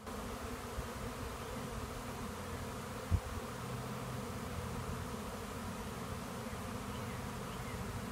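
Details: Honeybee swarm pouring into a swarm trap and bearding off it, bees everywhere; a steady low droning hum of many wings with a brief knock near three seconds.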